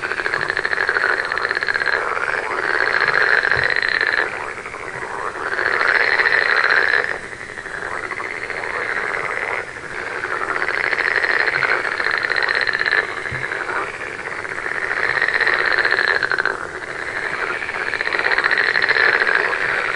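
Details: Chorus of frogs swelling and fading in waves every few seconds, each surge made of many buzzy pulsed trills layered together, then dropping to a softer background murmur of calls.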